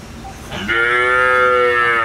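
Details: Indian desi cow being milked at a dairy, calf standing near its mother; one strong, steady, richly harmonic moo starts abruptly and sustains to the end.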